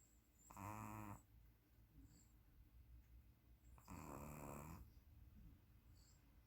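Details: A sleeping puppy gives two snores. The first is a short raspy breath and the second a longer, fuller rumble, separated by about three seconds of quiet.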